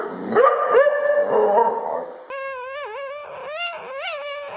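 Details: Dog making a funny vocal noise: a wavering, moaning howl that shifts to higher sliding, warbling tones in the second half, harmonic and sustained.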